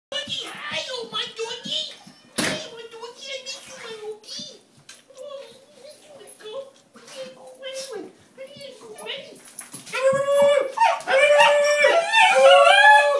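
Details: A basenji greets its owner, who is home after a week away, with a stream of warbling, yodel-like cries that rise and fall and grow louder and more excited; an early knock and faint human voices are heard.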